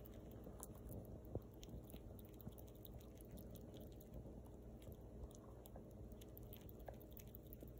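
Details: A young female rescued fox squirrel eats, with soft, steady crunching and nibbling clicks.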